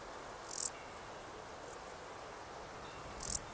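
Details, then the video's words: Male Stal's saddle bush-cricket giving its calling song in the Sierra de Gredos on 17 July 2019: two brief, very high-pitched chirps about two and a half seconds apart over steady background hiss. "Stal's Saddle Bush-cricket Lluciapomaresius stalii, male, calling song"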